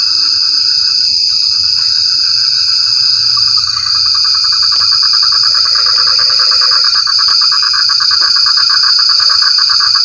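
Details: Frogs calling in the rain: rapid pulsed trains of mid-pitched rattling croaks build and run on steadily through the second half. A dense, unbroken high-pitched insect drone sounds throughout.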